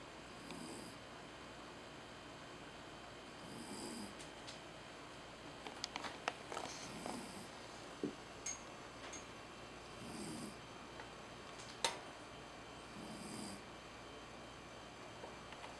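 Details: Sleeping Jack Russell Terrier Tamao snores in regular breathy rasps about every three seconds. A run of sharp clicks and taps sounds in the middle, with one louder knock near the end, over steady indoor hum.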